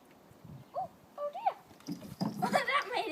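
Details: A cat in April 2013 while someone tries to teach it to slide: two short meows that arch up and down, followed by overlapping human voices.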